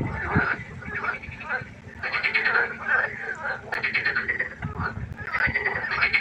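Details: Frogs croaking at night by a pond, a dense chorus of rasping, pulsed croaks in overlapping bursts roughly every second, with a steady low hum underneath.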